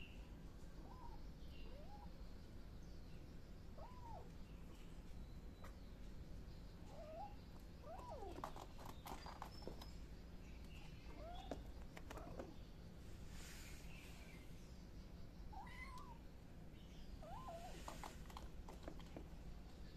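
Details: Miu the kitten gives short, arched mews that rise then fall, repeated roughly every one to three seconds across the stretch. A steady low background hum runs throughout, with scattered clicks and taps in the middle.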